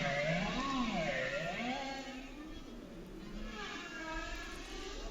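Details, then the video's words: Bowhead whale song, which bowheads sing elaborately in winter: sweeping, harmonic moans rising and falling over a low underwater rumble. "And bowhead whales, too, sing elaborate songs in the winter."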